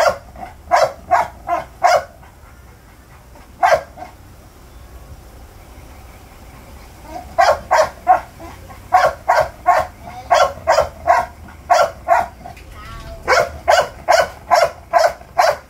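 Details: American Bully puppy yapping in quick bursts of three to six sharp barks, with a pause of several seconds after an early single bark, then rapid runs to the end.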